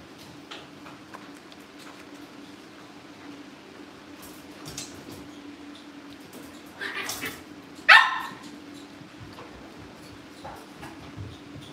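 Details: Cavalier King Charles Spaniel puppies indoors at home, being readied for family pick-ups: a single sharp, high yip rises out of a quiet room with a steady low hum, preceded by faint rustling and soft shuffling.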